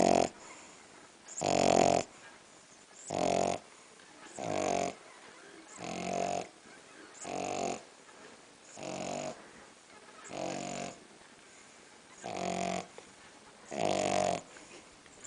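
A French bulldog snores in rough, rattling bursts roughly every one and a half seconds.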